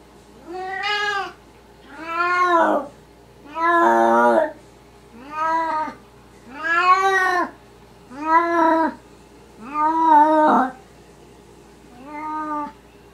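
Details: A Maine Coon cat, recorded in the middle of the night, talks in a run of eight long, rich meows. Each rises and falls in a smooth arch, some rougher and wailing, about one every one and a half seconds.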